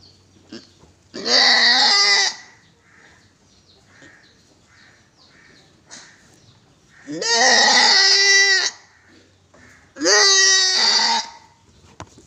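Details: Three drawn-out, tremulous bleats from a goat at a farm in Gulbarga, Karnataka, India. The first comes early and the last two arrive close together near the end, with faint clicks and low noise in the gaps.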